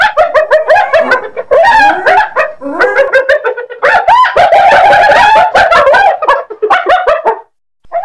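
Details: Hyena giving a dense, rapid run of yelping, giggle-like notes with bending pitch, almost unbroken for about seven seconds before stopping.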